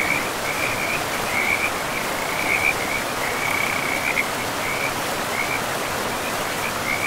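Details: Frogs calling by a forest river amid moss-covered ground, with a run of high trilled bursts that merge into a longer rolling stretch, then break into short pulses, all over a steady water roar.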